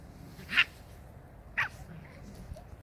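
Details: Samoyed puppies, 43 days old, from the A litter of Arctic White Cherry: two short, high-pitched yelps about a second apart, with low rumbling background noise and faint speech nearby.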